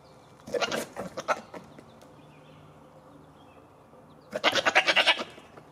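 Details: Goats being playful: two bleats, the first broken into short pulses and the second a rapid fluttering, tremulous bleat of about one second.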